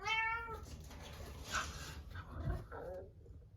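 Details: Munchkin cat Chabo, isolated in another room at dinnertime ahead of neutering surgery, meowing plaintively: a short harmonic meow at the start, then indoor rustling and a fainter second call near the end.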